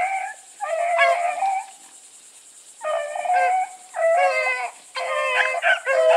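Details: Blueticks in full cry while running with Sassy: long, drawn-out, ringing bays from more than one hound, each lasting about a second and strongly harmonic, separated by brief pauses, with a constant high hiss.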